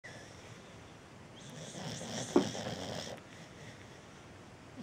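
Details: A sleeping cocker spaniel gives a single rough, breathy snore that swells and fades over about two seconds, while a cat sleeps nearby.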